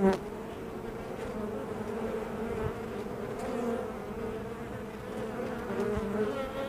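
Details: Many honey bees humming at the entrance of their hive, a steady layered drone with a few louder flybys standing out near the start and middle.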